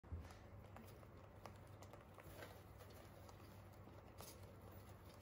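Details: Free-roaming Holland Lop rabbits crunching hay indoors, soft brittle clicks and snaps repeating irregularly over a steady low hum.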